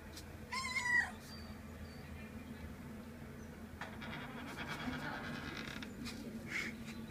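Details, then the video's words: A cat that has come to visit lets out one short, bright meow early on, followed by several seconds of low hum, faint rustling and scattered soft clicks. "Котэ пришло в гости =)"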